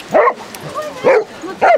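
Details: Three loud, close baying barks from Basset Hounds, part of a 30-hound walk on sunny Exmouth beach, Devon; evenly spaced, each with a bent, rising-falling tone.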